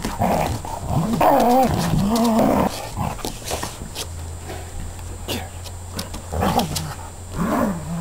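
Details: Akita and a border collie/lab/bull terrier cross play-fighting, recorded with a still camera's movie mode. Wavering growl-whines rise and fall early on, then low rumbling growls and sharp bursts, scuffles and thumps of wrestling.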